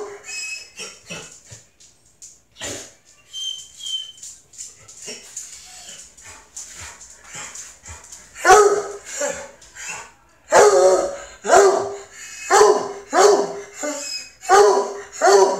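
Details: A male Treeing Walker Coonhound at the vet, worked up and wanting to sniff other dogs, gives loud, repeated bawling yelps and howls, roughly one every two seconds.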